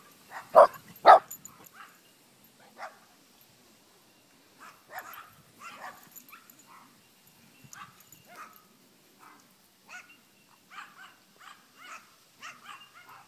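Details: A Chihuahua puppy at play outdoors alongside its big sisters: two loud high yips right at the start, followed by a long run of faint, scattered little yaps and scuffling.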